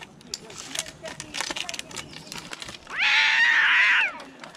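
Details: Rescued cat giving one loud, sustained, slightly wavering meow lasting about a second, after a stretch of soft human voices and background noise.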